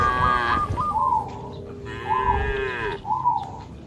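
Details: Cattle, part of a herd of dozens jumping over a path border between green rice fields in the countryside, give drawn-out harmonic moos that rise and bend, alongside short repeated higher tonal notes.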